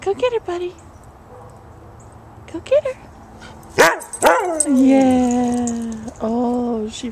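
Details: Dogs playing in snow at Christmas 2010: Buddy, a husky mix, and Lucy, a 10-week-old American Eskimo puppy, meeting for the first time. Two sharp barks with falling harmonic tails, then a long sliding whine-like tone, mixed with human voices.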